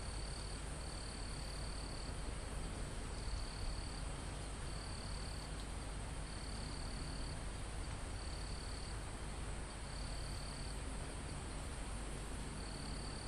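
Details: Mountain forest crickets recorded live near the summit: seven or so short high buzzing bursts spaced roughly every one to two seconds, backed by a steady thin insect whine and dense low wind noise in the leaves.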